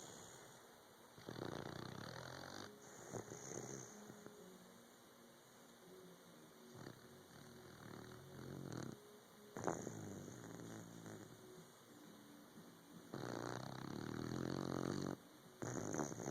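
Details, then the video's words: Sleepy puppy snoring in irregular rasping breaths, each burst one to two seconds long with softer gaps between, growing stronger toward the end. "Snoring Puppy"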